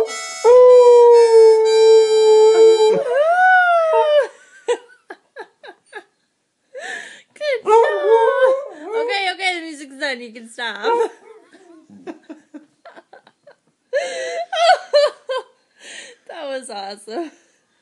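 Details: Indoors, a beagle (Canis familiaris) tilts its head and howls in long, wavering, sliding tones while a man plays Home on the Range on a harmonica.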